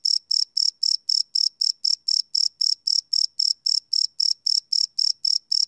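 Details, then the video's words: Night-time cricket chirps captured live with a Sony PCM D100 recorder, a shrill high-pitched pulse repeated roughly four times per second in a tight regular rhythm against a silent background. "Cricket Chirp Sound - Cricket Sounds at Night"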